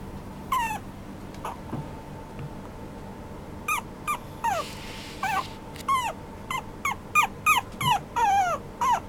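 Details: Apricot-coloured young male Toy Poodle giving scattered brief whimpers, first sparse and then quickening into a burst of high, descending yelps near the end, over a quiet room hum.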